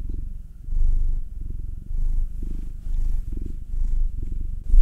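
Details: Purring house cat being massaged, one of a pair: a black nine-year-old male and a two-year-old tortoiseshell Munchkin female. Low continuous rumble with gentle surges roughly every second, softer at the start and ending with a brief louder rustle.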